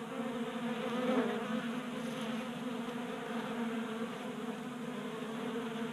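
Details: Swarm of honey bees taking food from a table-top feeder in a garage in Colorado on a warm January day; constant layered droning, swelling briefly louder as a bee flies near.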